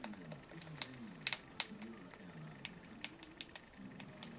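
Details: Pet rat Noona, a hungry female, nibbling chips she grips like a steering wheel: bright, dry crunches and snaps in quick clusters, some spaced about half a second apart, with soft talking underneath.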